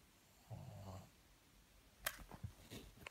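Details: Pug snoring indoors, a short low rumbling snort followed by soft clicking and snuffling breaths.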